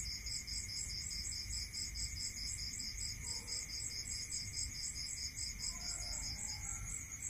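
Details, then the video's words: Countryside crickets at night trilling in rapid pulses across high bands, with a steady ringing drone below. A few soft, higher-pitched notes appear faintly in the middle and toward the end over a low background hum. "Listening to Cricket Sound"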